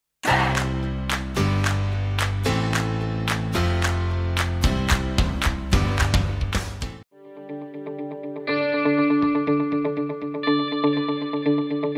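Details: Plucked, effect-laden guitar music with repeated chords fills the whole stretch, pausing briefly before a brighter melodic passage, and no animal sound is heard.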